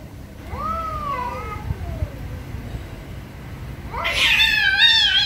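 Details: Angry cats meowing very loudly: two wavering meows that slide downward, then a sudden harsh, high, strained yowl near the end, with low background rumble throughout.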